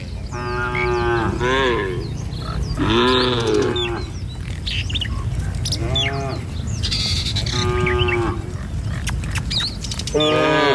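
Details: Herd of tame cattle walking along a village road in the morning on the way to feeding fields; several drawn-out, harmonic moos overlap and repeat, with chirping birds and a steady low rumble behind.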